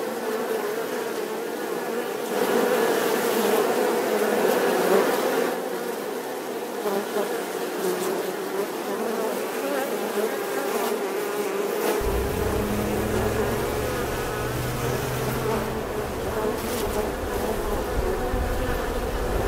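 A steady, droning buzz of bees, humming low and continuous with slight swells in loudness.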